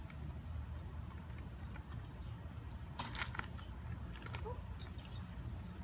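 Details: Low background rumble with a few sharp clinks like jangling keys, and no animal voice.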